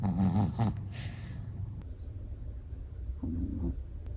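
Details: Black-and-tan long-haired Chihuahua snoring while asleep, relaxed: a low nasal snort followed by softer breathy rasps and a second low snore near the end, with a quiet low room rumble underneath.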